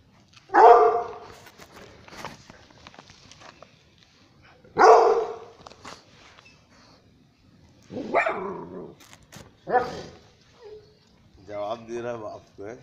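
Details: French Mastiff puppy, about two months old, one of several kept indoors in Jabalpur, Madhya Pradesh, India: two loud, sharp single barks about four seconds apart, then softer yelps and barks, with a man speaking Hindi in the background.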